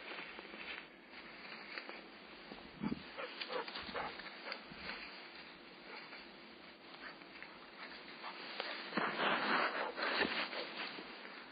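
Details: Golden Retriever puppy Ibuki on a first walk in March 2010, meeting and playing for the first time with one-year-old aunt Kohaku; soft scattered whimpers and short yips over steady rustling background noise, louder near the end.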